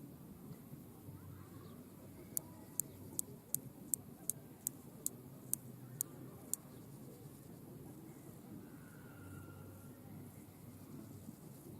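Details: In a restored French meadow, a male grasshopper sings an unusual courtship song to attract a mate: a series of dry, sharp ticks, about two or three each second, while other species chirp in the background.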